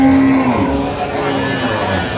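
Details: Cow at the Aftabganj livestock market in Dinajpur, late October: a low, steady, droning moo held through the short clip. Voices bargaining over milk yield and general market noise fill the background.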